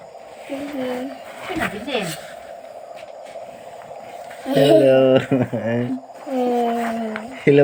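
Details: Frogs calling at night near a house: low, nasal, buzzy notes in short bursts, some pulsed and stuttering, over a steady high-pitched drone of insects.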